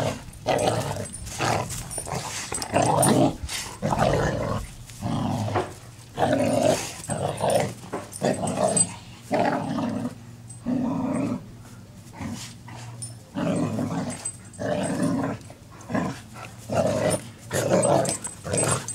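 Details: Pair of black Labradors tugging on a home-made rope toy in play; loud, gravelly growls rising and falling in rapid bursts about every half second, with scrabbling and handling noises.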